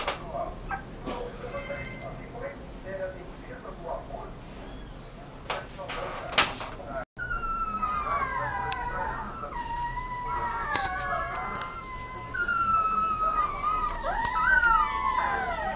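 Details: Whining Rottweiler puppy, with a stretch of faint rustling and knocks before a sustained series of high, wavering whimpers that slide and overlap, growing louder toward the end.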